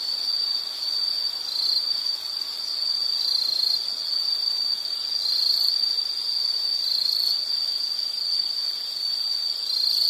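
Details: Insects trilling continuously on a high, narrow pitch for relaxation listening, the tone holding steady with slight wavering and occasional brighter pulses, over a quiet hiss.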